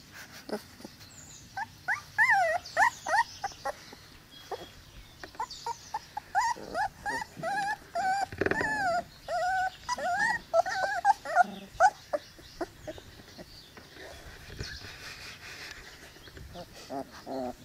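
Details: High, wavering squeals and whines from Cane Corso puppies aged 22 days come in uneven bursts, with a longer stretch of fluttering whimpers in the middle and rustling and handling noise throughout.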